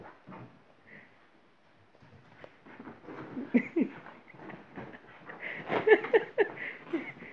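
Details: Labrador Staffordshire mix, full of energy, playing indoors with its sofa; short grunting, whining and growl-like bursts, sparse at first then dense and louder near the end, with snuffling and rustling around them.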